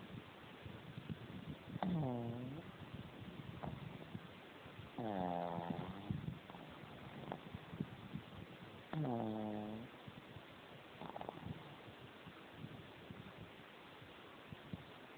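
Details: Jemma, a pug, asleep with her tongue out and eyes open, snoring: three drawn-out nasal snores with a whistling, wavering tone, spaced about three to four seconds apart, with soft snuffles in between.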